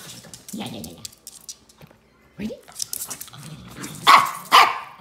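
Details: Two Shih Tzus squabbling over a toy: low rumbling growls in the first second, a short quieter stretch, then two sharp, loud barks close together near the end.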